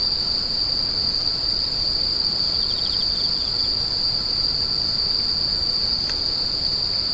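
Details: Insects produce an even, shrill ringing trill, with a quiet spell of fast pulsed chirps early on, a single sharp click near the end and a soft low rumble underneath.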